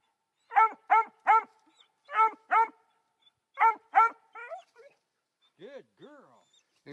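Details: Female Black and Tan Coonhound pup, three months old, barking up a tree at her first raccoon. Rapid runs of two or three loud, evenly spaced barks, then soft whimpers, with a man's voice close by.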